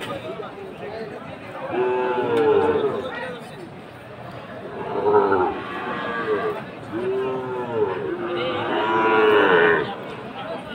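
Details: Sahiwal bull calves raised for fattening at the Aftabganj cattle market in Dinajpur, Bangladesh, on 4 March 2023. Three drawn-out, arching moos roughly every three seconds rise and fall over a steady murmur of market crowd.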